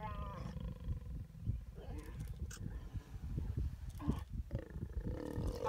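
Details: Deep, rough growling from a mating pair of lions in Zambia's Kafue National Park. The rumble stays steady and low throughout, with brief higher tonal sounds breaking in around the second and fourth seconds.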